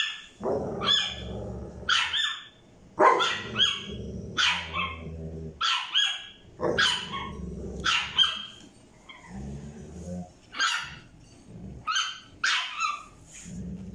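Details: Little Milo, a tiny French bulldog puppy, barks for a toy that Basha, a Staffordshire bull terrier, has. Sharp, high, yappy barks come one after another in uneven bursts, some doubled, and low growly undertones run between them.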